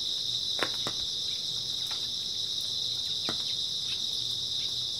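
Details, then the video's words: Grass insects heard on an early autumn night: a steady, shimmering high-pitched drone of chirping fills the whole stretch, broken only by a few faint clicks and light taps. "초가을 밤부터 새벽까지 백색소음 풀벌레 소리"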